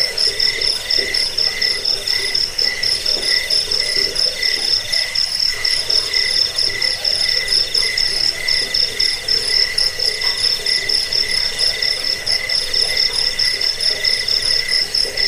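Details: Chirping crickets used as a rat repellent, bedtime sound and bird-training model; dense high-pitched pulsing carries on unbroken, quick regular chirps stacked in two shrill tones.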